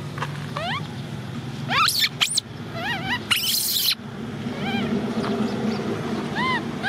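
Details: Cola, an orphaned baby macaque, crying because she wants to ride a bike: short arched, rising-falling whistled cries repeated over several seconds, mixed with clattering bursts and background noise.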